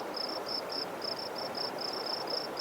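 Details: In late April, on a sunny afternoon gravel bar among tall dogbane by the Clark Fork River near Missoula, Montana, a spring field cricket sings short, clear, high trilled chirps, about four each second, over a steady soft hiss of moving water or wind.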